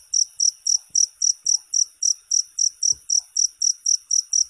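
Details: Cricket chirps from a ten-hour sleep recording: rapid, piercing high pulses repeated several times a second in a regular beat, with faint low thumps in the background.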